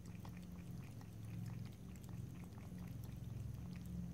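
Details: Cat licking and lapping water, no speech: quick, soft tongue clicks repeat in loose clusters through the short stretch, set against a persistent low-pitched droning background.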